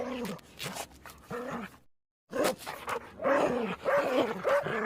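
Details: Dog giving short, harsh barks in uneven bursts, a few spaced barks, a brief silence, then a quicker cluster of louder barks.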